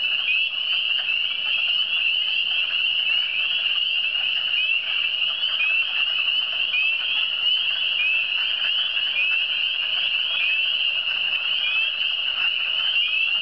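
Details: Steady frog chorus in the Eastern Townships, a thick, unbroken blend of high ringing trills from many animals, pulsing faintly but never pausing across the whole stretch.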